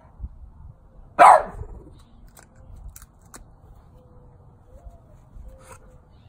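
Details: Lily, a 12-year-old French Bulldog, barking at a St. Francis statue: one sharp, loud single bark early on, followed by quiet with a few faint clicks and soft low rumbling.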